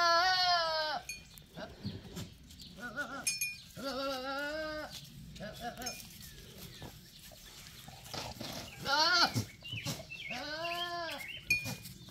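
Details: A male goat bleating several times: long, wavering, voice-like calls with strong harmonic stacks, some rising then falling, separated by short pauses, with faint background clatter and some human voices.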